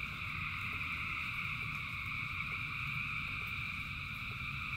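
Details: Thousands of frogs singing together in rain, a dense steady chorus forming continuous bright bands of tone at several pitches, with a soft low rumble of rainfall underneath.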